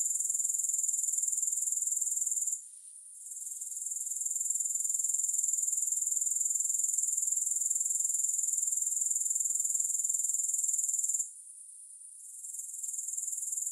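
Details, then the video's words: Grasshoppers producing a thin, piercing continuous buzz; the trill softens twice, once early and once near the end, and gradually climbs back each time; nothing else audible. "Grass Hopper Sounds"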